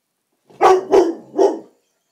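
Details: Black Labrador Retriever named Rossi barking one evening in a living room while taking on a silk orchid; three deep, hoarse barks in quick succession, each about a quarter second long, in an otherwise quiet room.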